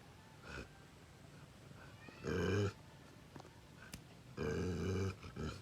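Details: Bakarwal dog, described as an aggressive protection dog, giving two loud, low, rough growling bursts about two seconds apart, each lasting roughly half a second, with quieter short grunts between them.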